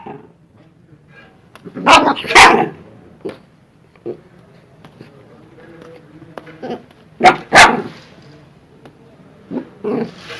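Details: Angry dog growling and barking: a low steady growl runs throughout, broken by two harsh doubled barks several seconds apart and a few softer huffs.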